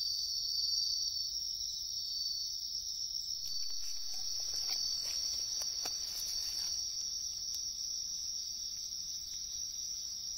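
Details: Wild bell crickets in a riverside wood, a dense continuous high-pitched ringing trill, interrupted midway by several seconds of rustling and clicking handling noise.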